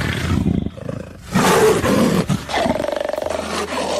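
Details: Savanna leopard calling with deep, raspy roaring growls, one long rough burst in the middle and pulsing, sawing grunts toward the end.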